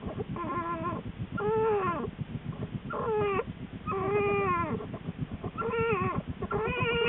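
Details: American black bear Lily inside her winter den not long before giving birth to two cubs; drawn-out, harmonic whining cries that bend downward, about six in seven seconds, over constant low rustling noise.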